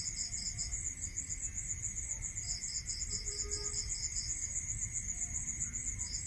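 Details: Crickets at night in a rural setting produce dense, rapid high chirping pulses. A second, slightly lower pulse series fades in and out, with a steady whine and low rumble underneath.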